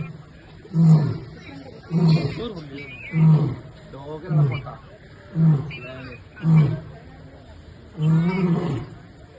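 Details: Captive lion at Trivandrum Zoo, Kerala, giving a series of deep, low grunting roars, about seven bursts spaced roughly one to one and a half seconds apart, the last one longer; people talking faintly in the background.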